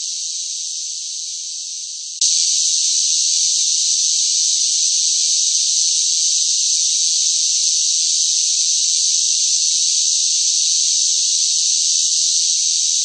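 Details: Cicadas crying loudly in summer heat. A softer high buzzing drone runs for about two seconds, then abruptly jumps louder and continues as a steady, dense shrill hum to the end. No other sounds.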